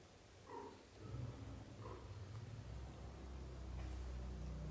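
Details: Young British shorthair kittens in their first thirty days utter two brief, thin mews about a second apart, then a low rumbling murmur and handling noise take over.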